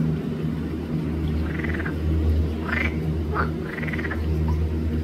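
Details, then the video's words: A few drawn-out, rattling croaks and shorter clipped notes from green frogs (Pelophylax) at Arboretum Volčji Potok, recorded 5 June 2024, sound over a constant low droning background. "Pelophylax sp. ZELENA ŽABA"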